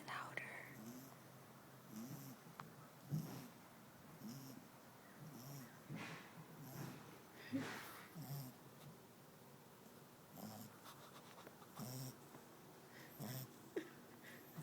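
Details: A sleeping 11-week-old French Bulldog puppy snores in low, rasping rumbles, repeating every second or two.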